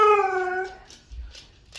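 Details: Siberian Huskies react indoors after their owner plays a fake doorbell sound; a short harmonic howl, steady then sliding slightly down and fading after under a second, followed by quiet rustling.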